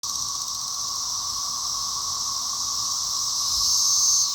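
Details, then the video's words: Cicadas in a little apple tree: a continuous, steady high buzz fills the clip without a break, with a fainter lower hum beneath and a slight swell in loudness near the end. "CICADAS IN A LITTLE APPLE TREE"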